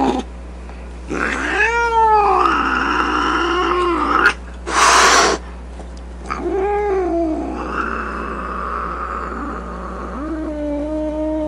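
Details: Grumpy domestic cat giving arching, rising-then-falling yowls interrupted by a loud burst of hissing, followed by more moaning calls and a steady low wail.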